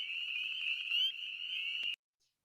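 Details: A spring peeper in West Virginia gives a high, piercing whistled note that holds steady for about two seconds.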